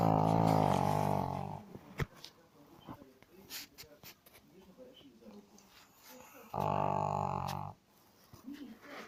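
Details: Dog snoring indoors, two long droning snores with a buzzy harmonic rasp about five seconds apart, with soft clicks and faint room sounds in the quiet gap between them.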